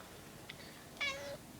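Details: Pet house cat tracking a mosquito in a ceiling corner indoors makes one short, thin, slightly falling meow-like chirp, preceded by a faint tick in a quiet room.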